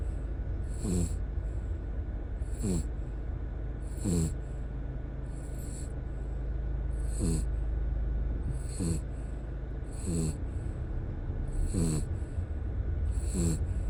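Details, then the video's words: Hauli, a ten-year-old dog and camping companion for nine years, sleeping deeply in the car on the way home after three nights and four days of camping. Rasping snores with breathy bursts repeat about every one and a half seconds over a steady low car hum. "코고는 강아지 | 댕댕이 코골이"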